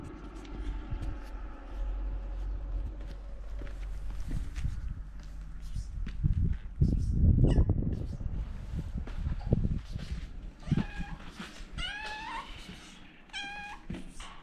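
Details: Kitten walking around and meowing: after rustling and handling noise with low rumble, several short harmonic meows rise then fall near the end, about three in quick succession with brief gaps.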